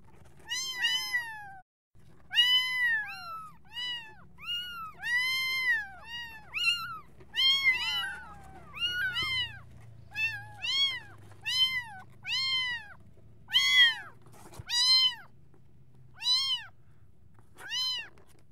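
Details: Kittens meowing for their mother in a near-continuous run of roughly twenty high-pitched, arched mews, some overlapping as if from more than one kitten, each brief and harmonic-rich, with a soft low hum underneath.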